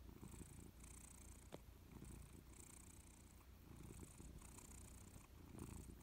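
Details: Persian cat named Louis dozing on a warm sofa indoors, purring steadily: a low continuous rumble that swells and fades with each slow breath, with soft airy hiss on the exhalations and one sharp click midway.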